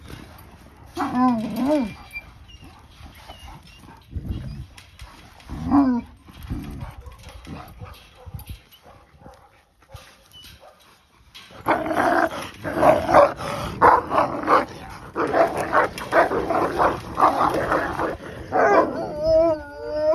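Akbash dogs clash over rank, trading wavering whines and yelps early, then a dense burst of snarling growls and barks. Sharp rising cries break through the scuffle near its end.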